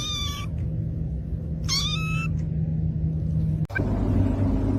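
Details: Domestic kitten meowing indoors: two drawn-out, clear meows, each about half a second, with a strong harmonic ring, over a constant low electrical hum and a single sharp click near the end.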